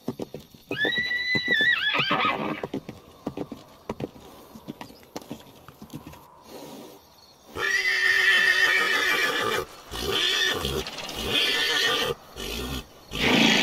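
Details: Herd of horses and mares on a beach ride. One clear, quavering whinny holds a high pitch for over a second amid hoofbeats, then loud broad rushing noise covers the rest.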